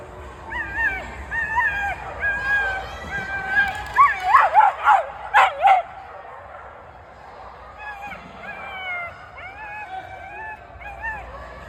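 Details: Feta, a dog watching flyball and making herself heard, gives wavering whines, then a run of sharp rapid barks around four to six seconds, followed by softer broken whimpers over steady low background noise.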